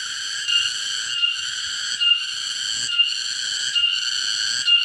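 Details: A cicada in a garden sings a loud, shrill, continuous buzz that swells slightly about once a second.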